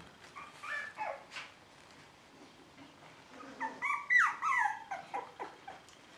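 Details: A female dog at a Shiba Inu and Samoyed breeder in the Netherlands calls for attention indoors with a string of high, whimpering whines, some sliding downward, in broken bursts over several seconds, after a woman speaks softly in Dutch.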